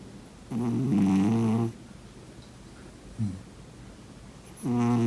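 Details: A sleeping cat snores: a long, low, vibrating rasp, a brief soft snort, then another drawn-out buzzy snore starting at the end, all against quiet room tone.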